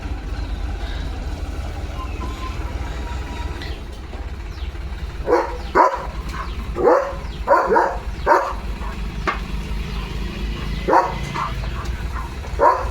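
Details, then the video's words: Leo, a pet German Shepherd, barks at a tractor driving past the house, possibly hauling gravel: loud broadband barks in irregular bursts after several quiet seconds, some doubled, over a steady low engine rumble. "ट्रॅक्टर बघून Leo The German Shepherd ला काय झालं?"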